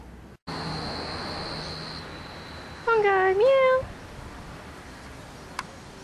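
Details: Pongo, the family's pet cat, utters a single clear meow lasting about a second, dipping slightly then rising and holding, after a steady high electronic tone fades; quiet background hum.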